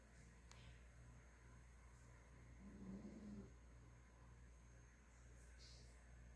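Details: Nina, a pet female Miniature Pinscher, snoring while asleep indoors: one soft, low, throaty rasping breath swelling in the middle of a quiet room hum, with faint clicks above.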